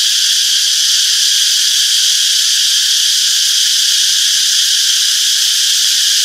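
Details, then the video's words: Many cicadas chirping together in a summer forest, forming a continuous, even, high-pitched whirring wall of sound with faint scattered low clicks beneath. "Relaxing Cicadas Chirping Sounds - Peaceful Summer Forest"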